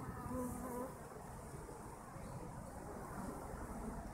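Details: Honey bees buzzing together: a close bee's wingbeat tone rises briefly at the start over a constant low, rough hum of many insects.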